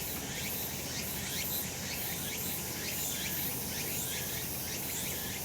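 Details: Sunny summer mountain in Japan with cicadas singing: an unbroken shrill insect drone, with rising pulsed sweeps recurring about once a second over even background noise.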